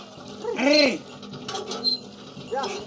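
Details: Goat in a village setting giving a single wavering bleat with a strongly harmonic, slightly rising-then-falling tone near the middle, followed by quieter rustling and a faint second call at the end; a steady low hum runs throughout.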